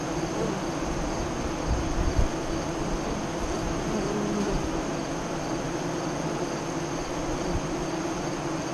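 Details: Honey bees humming at their west-facing hive entrance near Lyons, Nebraska, during the 2017 eclipse, 2:48-3:00 CDT; a steady buzzing drone with a short louder bump about two seconds in and occasional passing bees.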